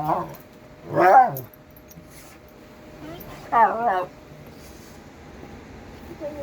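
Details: Indoor pet dog giving two short wavering yowls a few seconds apart, each rising then sliding down, with low room hum and near-silence between calls.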